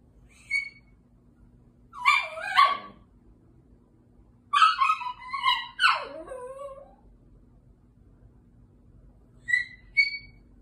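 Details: Female Chihuahua Nippy talks at night while trying to play with an older Chihuahua guest, Ellie. Brief high yips open and close the recording, with two wavering, yodel-like whines that slide downward around the middle. The background is otherwise quiet.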